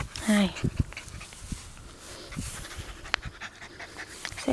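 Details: Eleven-week-old male Welsh Terrier puppy, born March 3, 2012, playing in grass with Kya, a rottweiler mix; brief breathy panting follows a short whine-like tone at the start, with a person talking nearby.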